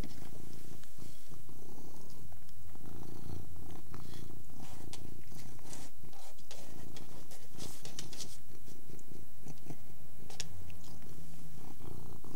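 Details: Eating Persian cat gives a continuous soft rumbling purr, steady and low, while chewing clicks and licking smacks pop through at irregular moments.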